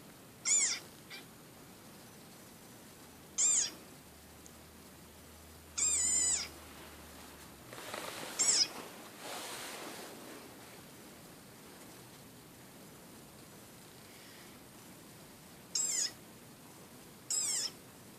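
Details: Played-back desert rain frog recording heard by a chocolate Labrador puppy: six short, shrill squeaks scattered irregularly across quiet room hiss, with a brief burst of rustling noise midway.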